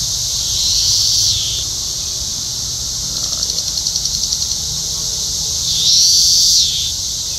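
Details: Cicadas in trees near Columbia, Missouri, during an invasion: a constant high buzzing chorus, with two louder rising, swelling cicada calls, one near the start and one near the end, and a faint rapid ticking in between.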